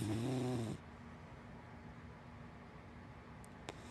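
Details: Hana, a big black dachshund and black Labrador mix, snoring while asleep indoors: one low, rumbling, harmonic snore of under a second, followed by a quiet room.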